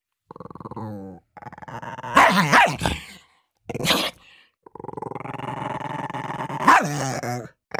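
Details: Dogs competing for food: long rumbling, harmonic growls broken by two sharp, noisy barks near the middle, then a sustained snarl rising into another loud bark.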